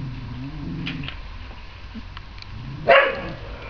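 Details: Lagotto Romagnolo at a Christmas party: low whining murmurs early on, then one sharp, loud bark near the end over steady low background rumble.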